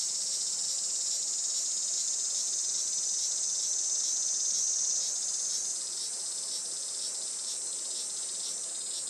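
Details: Cicadas singing on a sunny summer morning, 20 July 2024 around 11:30 am, at a traditional farm in Saitama, Japan; a steady, dense, high-pitched hiss-like drone holds throughout, easing slightly in loudness after six seconds.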